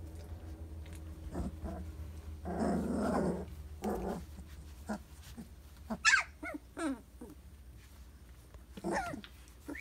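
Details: Briard pups aged three weeks give a long noisy growl followed by high thin whimpers and squeaks that slide downward, interspersed with short scuffles, steady background hum.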